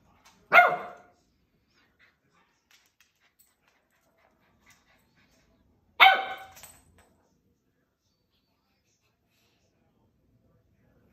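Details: Corgi barking at his own reflection, afraid of it: two sharp single barks about five seconds apart in a quiet room.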